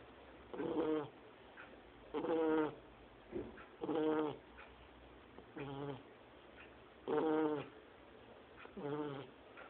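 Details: Two-month-old Shar Pei puppy Lorena asleep and snoring as loudly as an adult: six harsh, harmonic snore bursts, each under a second long, coming at a steady pace of about one every 1.7 seconds, with softer breaths between.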